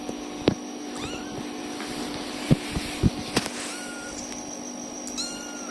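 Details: Tiny kittens crying for their mother cat: a few thin, high mewing cries, some rising then falling, scattered through the clip over a steady electrical hum, with soft thumps and clicks nearby.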